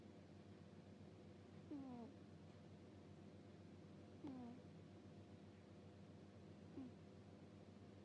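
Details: Domestic cat asleep and snoring "puu puu": three brief, low, falling whistly breaths about every two and a half seconds, the last one fainter, against quiet indoor hum.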